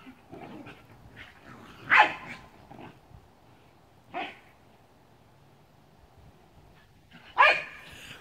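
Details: Cardigan Welsh Corgis, mother Talua and daughter Gabby, playing together at home, zooming around; three sharp, loud barks ring out near two, four and seven and a half seconds, separated by quiet scuffling and low room noise.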